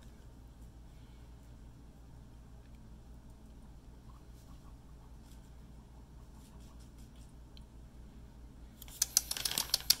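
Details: A quiet indoor hum with faint scattered ticks gives way near the end to a short burst of rustling and scratching, with no animal voice heard.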